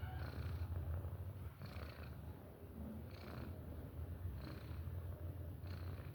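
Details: Simba, a pet cat, snoring while asleep: a steady low rumbling drone with breathy bursts roughly every one and a half seconds, each inhale brightening the sound.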